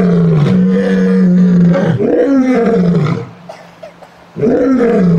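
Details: One of three lions eating meat gives a roar of deep, drawn-out, groaning moans that swell and fade.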